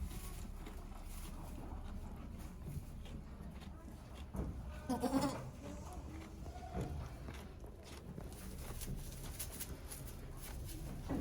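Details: Farm goat named Okayu at Yoshigake farm, Japan, on 3 May 2023, giving birth to two kids while many volunteers watch; a short harmonic bleat rises mid-recording over steady low rumble and faint murmuring voices.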